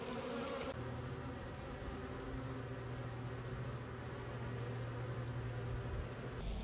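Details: Bees buzz in a constant low, even hum, steady throughout with a faint droning tone beneath.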